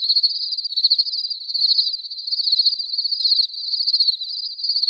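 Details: Crickets chirping continuously in a clean natural ambience, a dense high-pitched pulsing trill with rapid rhythmic beats and a fainter upper overtone band, no other sounds present.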